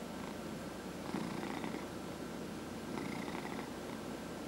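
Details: Cat purring while massaged indoors; soft low continuous purr swelling twice with rougher, brighter rasps on each breath, quiet room background.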